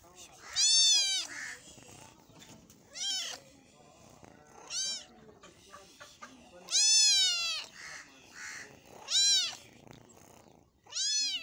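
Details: A meat-eating cat meows repeatedly, about six arched, wailing calls that climb and drop, some long and loud, others short, separated by quieter gaps with faint muffled murmurs.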